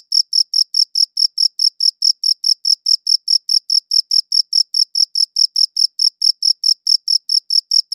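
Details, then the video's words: Cricket chirping steadily, recorded on a good audio recorder: short bright pulses repeated about five times a second in an even, unbroken train, with no other sounds behind it. "Cricket Chirping Sounds"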